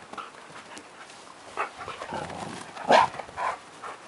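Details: Dog dashing about its garden at dusk, giving soft whines and breathy panting sounds, then a brief, louder yelp-like cry near the end followed by a quieter echoing whimper.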